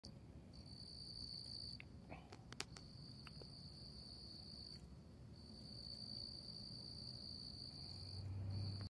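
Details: Periodical cicadas in Maryland during the 2021 seventeen-year emergence: a steady high buzzing drone that breaks off briefly several times, with low rumbling background noise and a few clicks and handling sounds.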